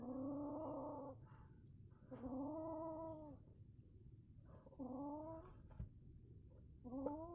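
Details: Angry kitten, a male, making a weird drawn-out wailing caterwaul: four long harmonic moans about a second each, separated by short pauses, over a low background rumble.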